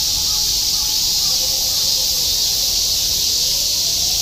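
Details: A dense, unbroken summer chorus of cicadas in Shinjuku, Tokyo, in 2016, a steady high-pitched hiss that never lets up.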